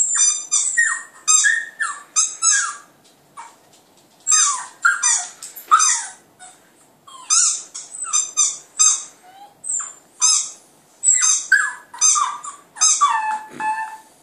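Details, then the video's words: Clyde, a Border Terrier puppy, howling indoors at a computer: high, harmonic yelping howls in bursts of two to four notes, each sliding downward, repeated through the clip with short pauses. "clyde puppy howling at computer"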